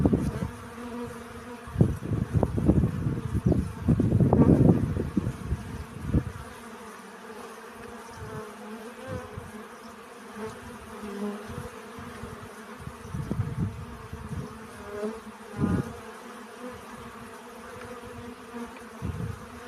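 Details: Honey bees at work collecting pollen: strong, loud buzzing for the first six seconds as bees pass close, then a softer, steady background hum with occasional brief nearer passes.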